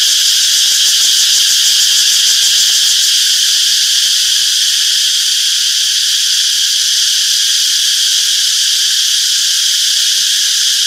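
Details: A wall of cicada chirping in a summer forest: shrill, stacked buzzing bands that never pause, with a faint flickering pulse within the steady drone and no other animals or noises.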